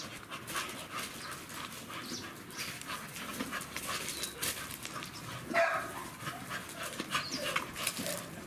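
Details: An American Staffordshire Terrier at a river during play pants in a steady series of quick, breathy puffs, with outdoor background noise.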